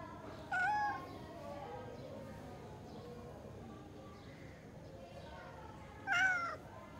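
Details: A cat gives two short, clear meows, the first under a second in, the second about five and a half seconds later, each slightly wavering in pitch, with quiet background hiss between them.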